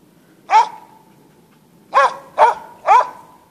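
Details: Norwegian Elkhound bay-barking while hunting in a Sorsele forest in Sweden: four sharp, ringing barks, one alone then three in quick succession about half a second apart, quiet forest between.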